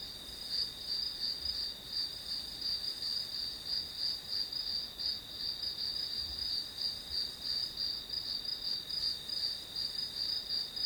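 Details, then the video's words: Grass insects singing: a shrill, ringing high tone broken into quick chirps near three per second, repeating without pause across the whole stretch, with a few faint low knocks. "풀벌레 소리"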